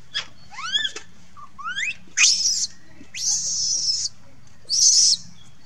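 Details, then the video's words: A monkey cries and calls for its mother: thin, rising whistled wails with stacked overtones, then three harsh, noisy high screams in quick bursts over about six seconds, with a faint low hum underneath. "Monkey Lucie Crying Call mom"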